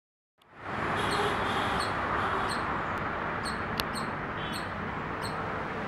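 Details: A squirrel in Hebbal park gives short, high chirps repeated about every half second over steady background hiss.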